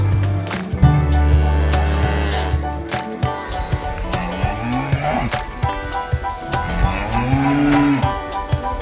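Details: Cows at a market lowing to their herd mates: an opening deep sustained moo, then a series of shorter, wavering calls that rise and fall in pitch, amid repeated clicks and busy background clatter.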